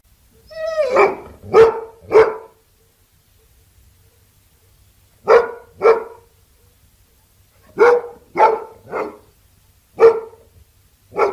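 A Labrador Retriever barks in short bursts of two or three loud, deep barks with brief pauses between.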